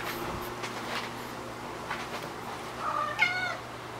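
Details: Shio-chan, a pet cat described as talking, during a dash game in which the owner's call sends her running, as she grows bored of the persistent play; one short, wavering, tonal meow near the end over a low steady hum.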